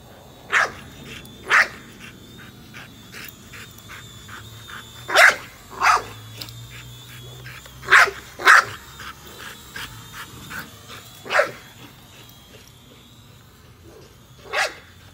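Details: A female American Bully, Nola, barks repeatedly at a drone she is chasing. Loud single and paired barks come irregularly across the stretch, with fainter yips between them and the drone's high, steady whine behind.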